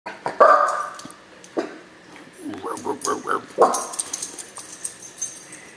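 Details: A dog barking: loud harsh bark bursts near the start and again at three and a half seconds, with a run of shorter rapid yaps between them, plus a human voice and household clatter.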